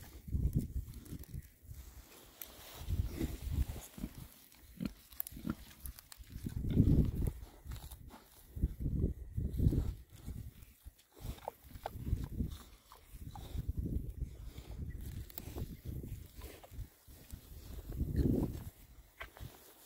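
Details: Six male rare-breed Oxford Sandy and Black pigs, content while foraging outdoors in winter between storms, give low, rumbling grunts in irregular bursts that come every second or two, with short quiet gaps between the bursts.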